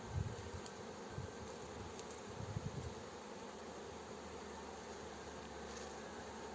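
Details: Honey bees of a newly captured swarm humming steadily as a beekeeper guides them into the hive, with low crackling thumps of dry branches underfoot early and midway.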